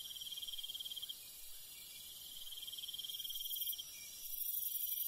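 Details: Countryside crickets at night, a dense high-pitched insect chorus with a rapid pulsed trill that runs for a second or more, pauses, and resumes, over a constant bright shimmer.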